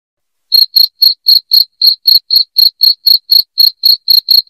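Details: Loud cricket chirping, high and shrill, starting after a half-second of silence and then pulsing steadily about four chirps per second with no other sounds.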